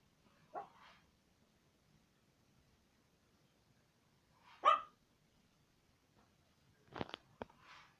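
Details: Indoor pet dog barking: a short bark, a pause of about four seconds, a stronger single bark, then a cluster of clicks and softer barks at the end.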